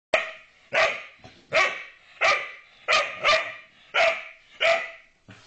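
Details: Ville, a pet dog who barks perhaps once a year, barking to get Pajjen to play: sharp, bright barks repeated about every 0.7 seconds, eight in a row, fairly steady, with nothing else audible.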